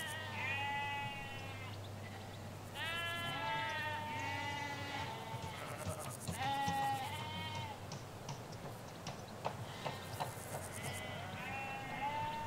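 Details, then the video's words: Ewes and lambs in rural Hampshire, captured from a hedge side: repeated loud quavering bleats from several sheep, high thin cries mixed with lower ones, coming every few seconds with a low hum beneath. "4K Sheep Field - One Hour Sound and Video"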